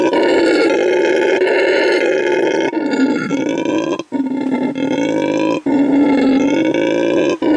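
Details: Loud, harsh roaring from a male red howler monkey at a Bolivian animal refuge, proving his vocal stamina; a rough, buzzing bellow held for several seconds at a time, with short breaks for breath.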